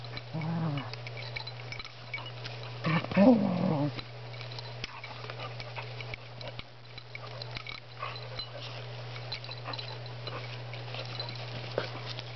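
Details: Two dogs, Spruce and Griffin, wrestle in play. A short harsh growl comes early, then a longer, louder rumbling growl about three seconds in. Scuffling clicks and a constant low hum fill the rest.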